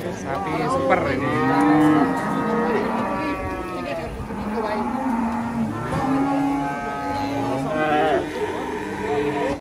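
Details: Cattle on an Indonesian farm lowing in long, drawn-out moos rich in harmonics, several calls overlapping and following one another across ten seconds.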